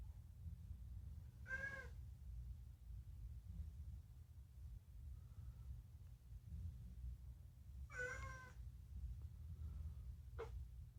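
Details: Rescued pet cat talking, its meows mostly food-related: two full, bright harmonic meows about six seconds apart, then a short clipped mew, over a low indoor hum.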